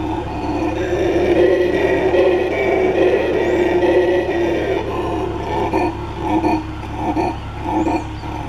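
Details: Black howler monkey (Alouatta caraya) gives a deep, rasping roar that swells and pulses in rough waves.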